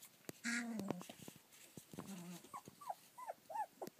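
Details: Rough collie puppies born on 27 February 2013, recorded at 25 days old on 24 March 2013, give a drawn-out whine followed by a run of short high squeaks and whimpers, with soft rustling between calls.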